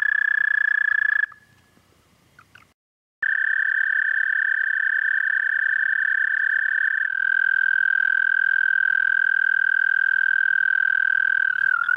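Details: Toad trilling at night, 30 May 2014, 11:13 p.m. CDT. A steady high trill stops abruptly, leaving two seconds of near silence, then resumes loud and even, settling a touch lower for the final seconds.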